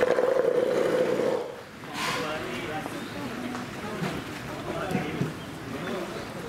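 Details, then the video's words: A Steller sea lion at Marinepia Nihonkai aquarium, Japan, gives a loud, harsh, rumbling roar, followed by a crowd's chatter. "【マリンピア日本海】 トドの鳴き声"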